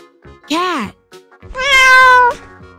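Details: Cat's drawn-out, even-pitched meow, rich in harmonics, following a short arched vocal note, with soft children's music playing underneath.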